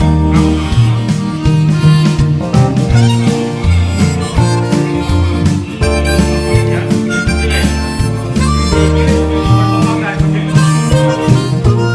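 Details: Bluesy harmonica melody over strummed guitar and a steady low beat, playing loudly throughout with no animal voice.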